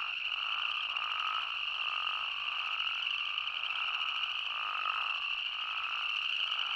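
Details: Arizona spadefoot toad chorus: a dense, unbroken high-pitched drone with slightly lower, drawn-out bleating notes rising and fading at irregular intervals on top of it.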